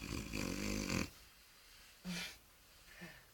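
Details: French Bulldog named Jean Paul snoring on cue, affectionately encouraged to snore: one raspy, rumbling snore of about a second, then two short, fainter snorts spaced roughly a second apart.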